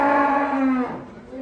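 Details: Cow being unloaded from a truck, where cattle are described as raging, lets out one steady, level moo of under a second that fades into a quieter continuation, with little other noise.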